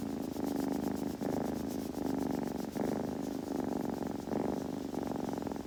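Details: Purring kitten, a low, even rumble cycling in long phases of roughly one and a half seconds, each separated by a short break as the breath turns.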